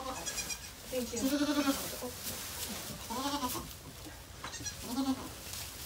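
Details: Rescued goat Maybel during the birth of her four kids at Goats of Anarchy; three drawn-out, quavering bleats spaced a couple of seconds apart over faint background noise.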